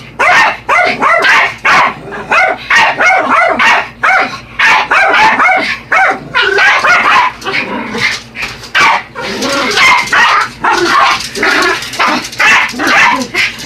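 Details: Yorkshire Terriers Buddy and Elmo attacking a radio-controlled truck: shrill repeated barks and yelps in quick runs, separated by short pauses, with excited whiny notes between.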